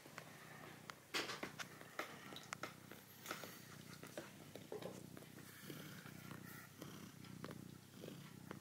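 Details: Tiger, a red male pet cat, purrs while kneading a plush mammoth toy: a steady low rumbling drone runs throughout, broken by soft clicks and rustles from his paws working the fabric.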